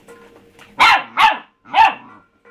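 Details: A pet pup barks at its empty food bowl: three loud, harsh barks in quick succession about half a second apart, with a low hum and faint soft noises before them.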